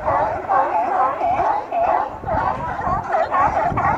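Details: A crowd of sea lions in Astoria, Oregon, heard up close on a Note 4 phone, barking loudly and continuously, many rough, throaty honks stacked on top of one another, with a brief lull near the middle.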